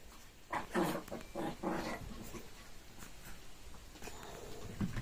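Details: A Shih Tzu, one of a trio at playtime, gives a few short, husky vocal bursts in quick succession, then goes quiet.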